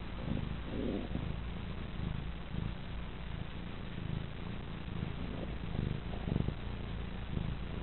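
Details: Young female pet cat, asleep and happy on her owner's lap, purring steadily: a low, continuous rumbling pulse that runs unbroken throughout, with no other sounds.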